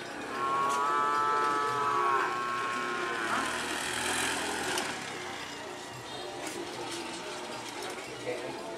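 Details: Cattle in training for a karapan sapi bull race on Madura, East Java, Indonesia; one drawn-out, harmonic moo in the first two seconds, then a busy background of voices and crowd noise.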